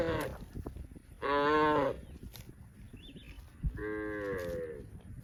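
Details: Gentle cows grazing in rice fields, heard in two loud, rich moos about two seconds apart, the second sliding slightly downward, with clicks, rustling and background music between calls.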